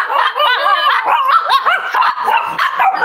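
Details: Cavalier King Charles Spaniel puppies indoors at a home raising emotional support animals, on a warm Friday morning: a continuous chorus of high, overlapping yips and whimpering squeals, rising and falling rapidly with no pauses.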